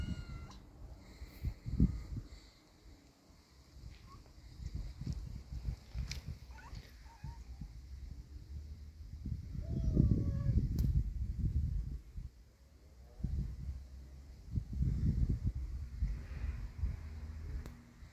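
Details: A brave kitten facing an adult cat; a few short, faint meows with rising and falling tones come through steady low rumbling and handling noise, with louder bursts of rumble around the middle and end.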